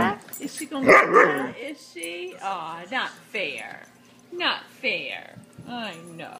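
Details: A Dachshund and a Saluki at play: quick yelping barks with clear pitch that rises and falls, several in close succession with short gaps, while a person talks over them.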